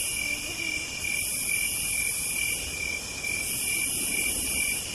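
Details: Cicadas singing on a southern night: steady high, shrill trilling drones on several pitches, with a sharper hiss above that swells and breaks into long phrases, and faint low background rumble.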